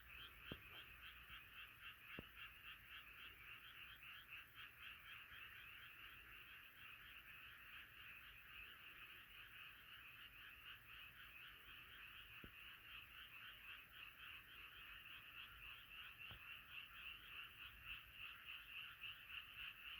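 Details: Frog chorus, night sounds of nature: a dense, continuous wall of rapid pulsing croaks, many frogs overlapping in a steady band, with a few faint clicks.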